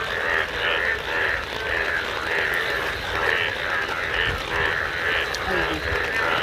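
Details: Yellow frogs in a chorus calling in monsoon rainwater and grass, a steady pulsing drone under falling rain.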